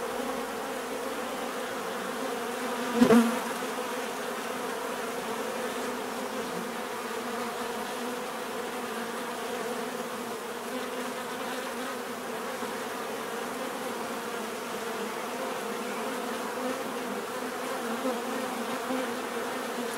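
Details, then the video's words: Many bees drone in a smooth, continuous low hum with stacked tones, broken once early on by a short sharp knock, then steady buzzing to the end. "bees therapy relaxing natural buzzing sound"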